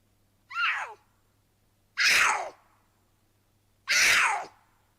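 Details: Mountain lion screams played back: three harsh, breathy, descending screeches about two seconds apart, each roughly half a second long, the first thinner and higher, the next two louder and broader.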